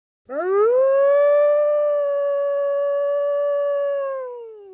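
A wolf gives one long howl that swoops up, holds a steady tone, then sags at the end.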